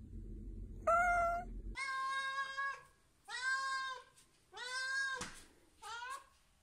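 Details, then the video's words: Domestic cat giving loud, direct attention-demanding meows, used when asking for food or to play: five drawn-out nasal meows, each about a second long, with a brief low hum before the first. "it is a loud and direct meow that is clearly a demand for attention here are some examples to [Music] explain [Music] [Music] oh [Music] happy"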